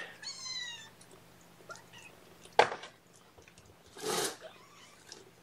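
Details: Kittens at their first formula feeding of the morning on 8 May 2018, indoors, fed by syringe on a lap; one thin, high mew lasting under a second, followed by clicks, rustling and a breathy burst of handling noise.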